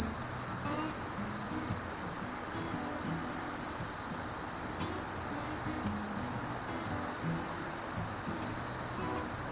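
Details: Sasakiri katydid (Conocephalus melaenus) singing: one steady, unbroken high-pitched buzz held at the same pitch for the whole stretch, with faint low murmurs underneath.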